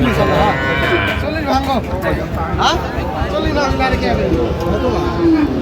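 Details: Sahiwal bulls at a bustling market in Comilla, Bangladesh, on 9 January. Repeated wavering moos from the cattle dominate, layered with continuous crowd murmur and nearby men's voices.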